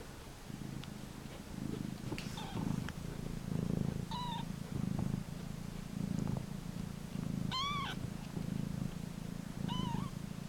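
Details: Mother cat Elizabeth with her kittens, dumped in a cardboard box at a turnpike and living in it. A steady, rhythmic low purr runs throughout, broken by three short arched mews near four, seven and a half, and ten seconds.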